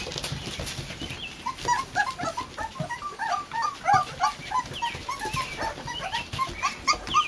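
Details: Four-week-old Boxer puppies of one litter, out for their first time in a new daycare pen on a front porch, stretching their legs: many short, high, thin whimpers and squeaks overlap in quick bursts, with scuffling and rustling below.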